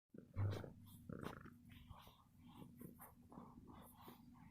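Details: A pet domestic cat purrs loudly, a steady low rumble running through the whole stretch.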